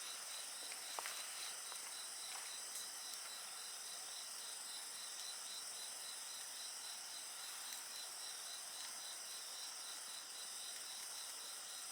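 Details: Nocturnal insect chorus next to a crackling campfire: a continuous high, ringing drone over a quick beaded trill, sustained throughout, with a few soft pops from burning wood early on.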